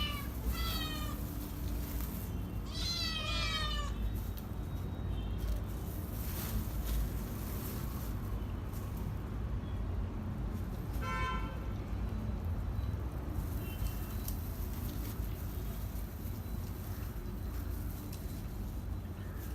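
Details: Hungry kittens giving a few brief high meows early on, then mostly quiet with scattered faint mews and clicks over a steady low-pitched background hum.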